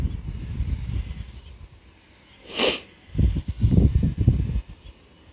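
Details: A black Shiba Inu with a twitching nose sniffs in low, rapid puffs, pauses, gives a single sharp hissing snort, then resumes a quick burst of sniffing before falling quiet.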